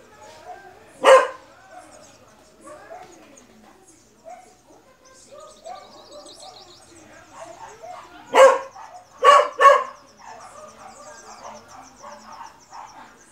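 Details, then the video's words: Beagle giving one abrupt bark, then after a pause a quick series of three barks, with soft twittering birds and low ambient noise around them. "CONHEÇA O LATIDO DO BEAGLE"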